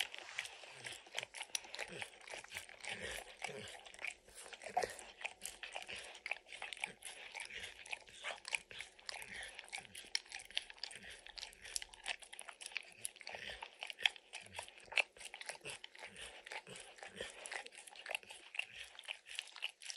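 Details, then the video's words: A dog, Max, eagerly licking peanut butter and kibble off an orange lick mat. Rapid, continuous sticky licking clicks with occasional louder smacks fill the whole stretch. "Dog Licking Sounds"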